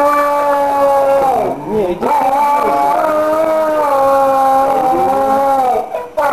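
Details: Dog howling at midnight in response to a mobile ringtone, a melodic lullaby-like song; sustained wavering tones that dip and rise, one steady held note with a brief break in the middle.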